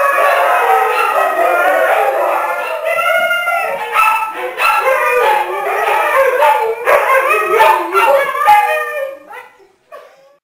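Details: Several Siberian Huskies, adults and three pups gated in a living room during dinner, howl together in long, wavering, yodel-like notes with short yips, nearly continuously before fading out.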